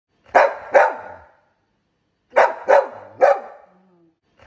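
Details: A young adult Golden Retriever gives loud, deep, full barks, first a pair, then a quick run of three.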